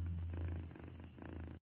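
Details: Happy domestic cat purring, a low steady rumbling throb with a continuous pulsing texture, close to the microphone, with a slight dip in loudness midway before it resumes.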